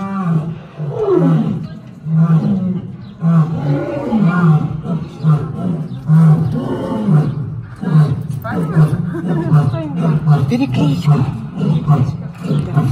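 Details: Lions at a Gelendzhik safari park and animal rehabilitation centre on the Black Sea coast, exchanging roars as a greeting. Loud, low grunting roars repeat roughly once a second in rolling bouts, voices overlapping, with a faint human voice in the background.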